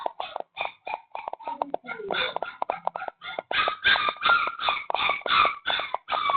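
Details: Rescued stray puppy, found at night, crying without stopping indoors in the Philippines; a person talks briefly at first, then steady pleading whines rise and fall, repeating about three times per second.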